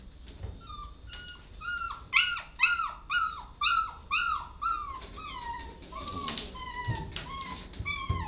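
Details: Dog at an animal shelter giving a run of high, tonal, falling whines or yelps, about two per second, each sliding downward with bright overtones, with soft background noise and faint music.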